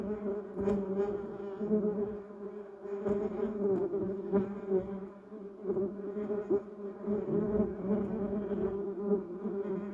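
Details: Garden bumblebees working a yellow cassia shrub and Duranta erecta, a dense layered hum of many wings, steady in pitch, swelling and fading as bees pass, with a few soft clicks of movement.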